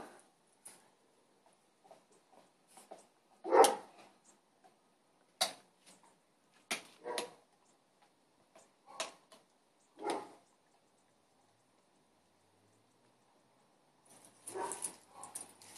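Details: A Boston Terrier gives short, sharp barks and huffs at irregular intervals, one louder bark standing out, seemingly challenging another dog that stays relaxed; neighbours' dogs were also barking.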